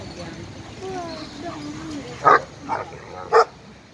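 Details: Barking during play at a dog park between two best friends, an 11-month-old Irish Wolfhound and an Italian Mastiff; human voices talk first, then three loud, sharp barks burst out about half a second apart.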